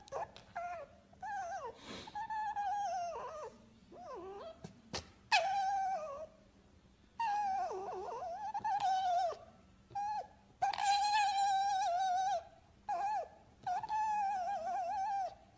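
A fox gives drawn-out, wavering whines broken by stuttering, cackling bursts that sound like crying and laughing.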